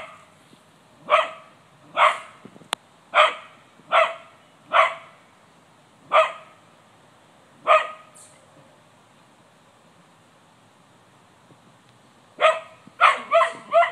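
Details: Cocker spaniel named Gladys barking in a yard to scare off a white-tailed deer: a run of sharp, evenly spaced barks about once a second, a pause, then a quick cluster of four barks at the end.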